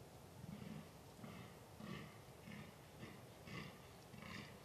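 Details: Fallow deer (Dama dama) in rutting season, recorded 2 November 2013; a run of about seven hoarse, low grunting groans, one roughly every 0.6 seconds, each with rough upper overtones, over steady background hiss.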